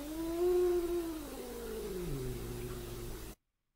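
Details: A domestic cat gives a high falsetto growl, a warning sound possibly a closed-mouth howl, wavering in pitch, then drops into a low normal growl.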